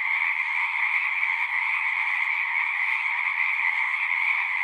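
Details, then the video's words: Many frogs calling at once from a pond in a horse pasture, recorded with a Zoom device; a bright, constant trilling din with a slight dip near the middle, otherwise unbroken. "Frogs singing"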